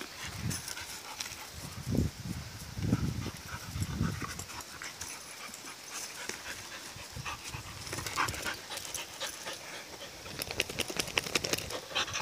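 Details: Rottweiler mix puppy, four months old, at play with her collie mix mother: low huffing breaths pulse in the first seconds, then dense hissy, airy bursts of rough panting and scrambling noise fill the second half.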